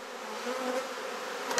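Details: Honey bees at a garden hive in Perth, Australia, during a hive inspection while frames are swapped: a steady, low droning hum with a faint, slightly wavering tone, and a brief knock near the end.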